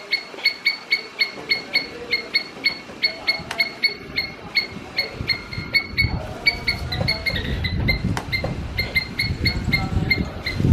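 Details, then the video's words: A squirrel calls in rapid, evenly spaced sharp chirps for several seconds, then the calls come more irregularly as low rumbling background noise grows louder and partly covers them. "Squirrel making Sound"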